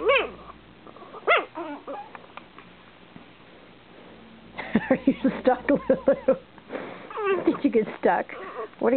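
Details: A pair of eight-week-old Shih Tzu littermates quarrel over a lap, giving high whimpering yips and quick repeated squeaky barks in two busy spells separated by a quiet gap, with a person's voice alongside.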